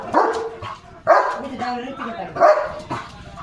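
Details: German Shepherd barking at a gate toward another dog outside; three loud barks about a second apart, with people talking in the background.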